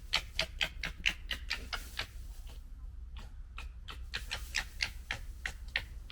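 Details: Gekkering from red foxes of the 2021 litter during a fight: a dry, staccato run of sharp clicking chatter, about four pulses a second, easing briefly mid-way before resuming.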